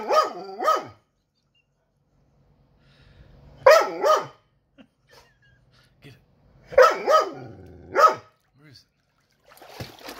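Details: Dog upset after his toy drowned, giving sharp yelping whines in paired bursts about every three seconds, with quiet gaps between them and faint human voices in the background.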